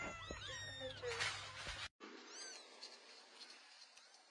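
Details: Several kittens mewing in a quick, overlapping run of short, high, arched cries. After a sudden brief break come fainter, scattered mews over steady background hiss and a low hum.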